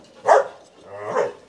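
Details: Dog barking at a Saigon breeding kennel where a Belgian Malinois has whelped ten puppies: two short, harmonic barks about a second apart, the first sharper and louder, the second softer and drawn out, with faint voices behind.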